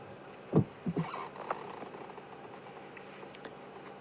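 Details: A lion, seen at sunset on safari, feeds, slicing meat and skin off the bone with low, rough tearing and crunching bursts, while a one-horned buffalo stands nearby sensing something amiss; buffalo soon chase him.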